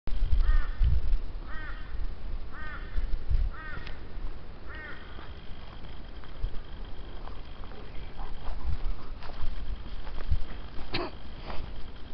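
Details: Frog calling at Tenterfield Creek during a walk along the water: a run of short, harmonic, arched croaks about once a second in the first five seconds, then fading under footsteps and low rumbling background noise.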